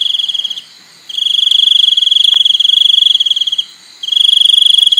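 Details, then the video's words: Cricket chirping in a steady, loud, high buzzy trill of rapid pulses. The trill breaks off briefly twice, then resumes at the same even pitch. The background is otherwise quiet. "សំឡេងសត្វចង្រិត ។ Crickets sound"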